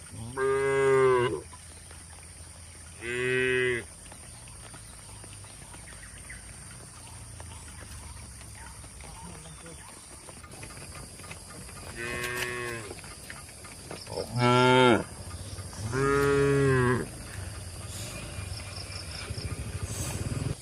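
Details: Docile cattle driven toward a broad field in a rural setting give five harmonic moos spread across the recording, short and rising then falling, separated by quiet stretches of low rumble and faint insect-like chirps.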